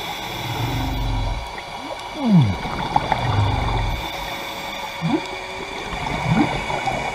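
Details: Humpback whale swimming by divers at Maui's Carthaginian Shipwreck, Hawaii: a clear falling sweep near 2.3 seconds, then brief rising chirps near 5 and 6.3 seconds, amid low bubbling rumbles from scuba breathing.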